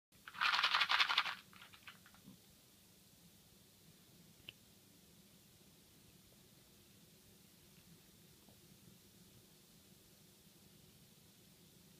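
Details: A short burst of crinkling and scratching indoors in a small room, then near silence with faint room hum and one soft tap, and no animal call.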